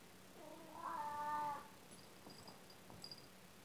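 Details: An old male domestic cat, playing indoors, gives one drawn-out harmonic meow lasting about a second, steady then fading, followed by faint clicks and rustles in a quiet room.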